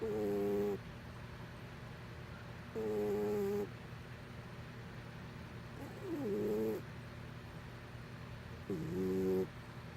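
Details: Sleeping pet cat snoring: four rhythmic, buzzy, harmonic breaths roughly every three seconds, some sliding slightly in pitch at the start, over a constant low background hum.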